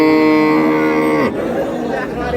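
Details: Dairy cattle of an improved breed, cows with calves, at the Ambari haat livestock market, Dinajpur, 17/4/26. One long, even, resonant moo holds for over a second, then slides downward and cuts off as people talk nearby.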